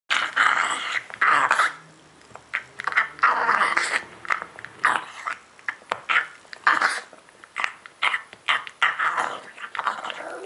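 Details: Pet pug eating indoors, making wet, snuffling chewing and gulping noises in quick irregular bursts, with short grunting sounds between mouthfuls.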